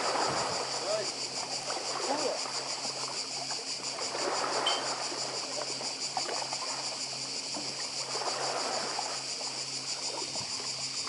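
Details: On Croatia's Badija island, a cicada chorus forms a constant high, finely pulsed drone from start to finish, layered over rolling surf and sea wash that rises and falls in soft waves.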